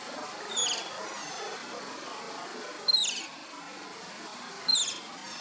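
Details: Asian small-clawed otter pups at play: three well-spaced, high, thin whistles, each sliding briefly downward, separated by roughly two seconds of low murmuring background.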